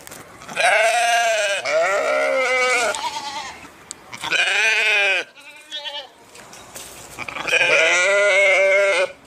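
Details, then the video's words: Sheep bleating: three long, loud, wavering bleats separated by a couple of shorter, quieter bleats. "صوت الخروف | the sound of the sheep"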